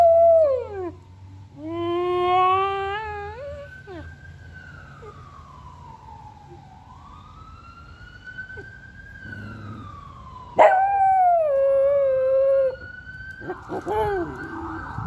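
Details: Rex, a pet dog, joins an ambulance siren with howls. A falling wail and a rising, wavering howl open the recording, the siren sweeps slowly on its own, then a sharp-onset howl holds and sinks for two seconds.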